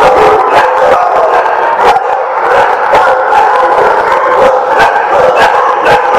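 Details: A crowd of dogs at The Barking Lot, 13 March 2017, barking together without pause. Overlapping yaps blur into a steady roar, with sharper individual barks standing out every second or so.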